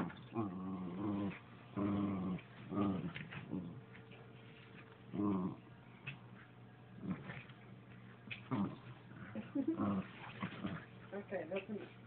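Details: Pet dog trying to get a slipper: bursts of low rough growling and whining, repeated several times with short pauses, over a muffled, scuffling background.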